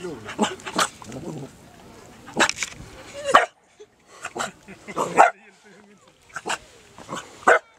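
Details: A dog in Marstrand, Sweden, confronting a crab, gives short, sharp barks in scattered bursts, with people talking in between.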